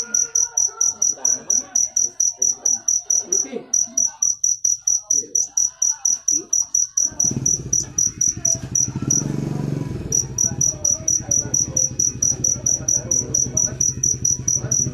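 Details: Cricket chirps as rapid high pulses about twice a second, briefly broken near the middle, while a louder low rumbling noise rises in the second half.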